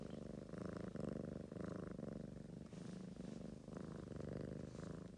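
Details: Ragamuffin cat purring next to a sleeping girl; clear rhythmic purr rising and falling with each breath, roughly twice per second, in a quiet room.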